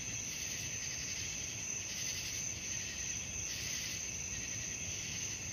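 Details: A continuous, high-pitched chirring of crickets at night, layered trills with a gentle rhythmic pulse and a few louder surges, steady low background hum.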